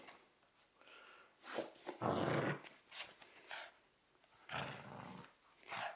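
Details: Cavalier King Charles Spaniel in 2013 training, fighting over its favourite teddy bear: harsh, noisy growling bursts, the loudest lasting about half a second, between quieter snuffles, with a woman speaking softly before.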